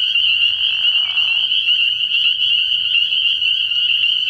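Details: Night chorus of many spring peepers at a frog pond in early spring, a continuous piercing high-pitched wall of peeps; a brief softer, lower rasping sound shows early on beneath the chorus.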